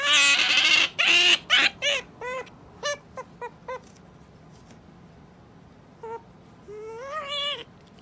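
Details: Pet otter kept in a home calling in a run of short, high chirping squeaks with harmonic overtones, quickly repeated then thinning out, ending with a longer rising and falling whine.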